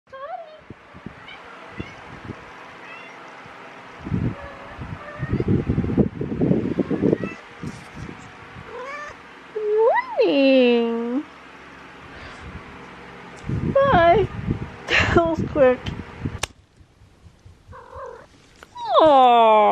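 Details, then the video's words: Domestic cat running in and meowing: a few drawn-out, arching meows, rising then falling, come in the middle and at the end, between soft footfall-like thumps and a person speaking affectionately to it. "Cat runs in with meows"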